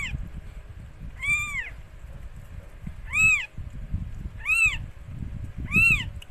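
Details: During the birth of four same-coloured kittens to Mikey, a rescued stray cat, four clear, high, arching mews ring out at irregular intervals above steady low-frequency rumble.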